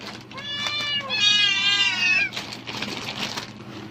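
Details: Domestic cat reacting excitedly to rustling plastic bags, apparently expecting food: a long, loud, strained meow that rises then falls, with a shorter meow before it, followed by crinkling bag noise.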